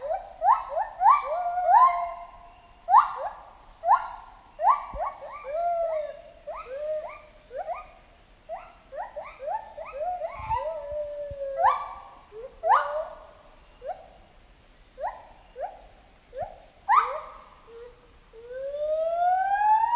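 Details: Jungle chimpanzee vocalizing in an excited series: dense, rapid rising hoots and screams, roughly one to two per second, building toward longer, sliding shrieks near the end.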